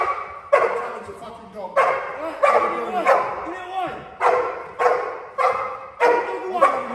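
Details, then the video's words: Cane Corso barking to contain a mock intruder in a home invasion protection drill; loud, rough barks come in uneven bursts roughly every second while a man's voice talks underneath between them. "Cane Corso dice Active Home invasion focusing on extended hood and bark criminal containment"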